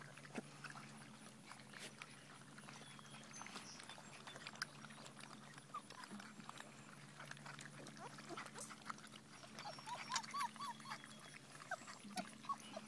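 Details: Five-week-old Giant Schnauzer puppies give short, high, faint squeaks and whimpers, clustered toward the end, over a steady low hum and scattered clicks and rustling.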